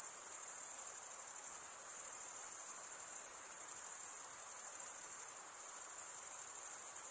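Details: Cricket chirping from males stridulating with their wings: an even, very high rapid trill running continuously, slight fluctuations in loudness, faint broadband hiss beneath.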